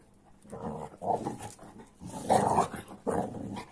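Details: Rough play between an AmStaff and a Kuvasz, heard as throaty play growls in several bursts, the loudest near the middle, with brief pauses between them.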